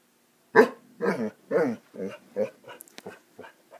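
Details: Basset Hounds at play: a quick series of about eight short, deep barks, loud at first and growing softer and choppier, roughly two per second.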